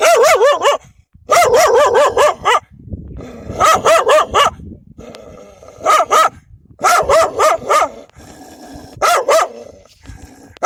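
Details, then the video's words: Wild dogs protecting their pups bark loudly and aggressively. Rapid barks come in clusters of three to five with brief silences between, opening with wavering, yelping notes, and faint low rumbling between the bursts. "كلاب برّية تدافع عن صغارها بصوت نباح قوي ومرعب!"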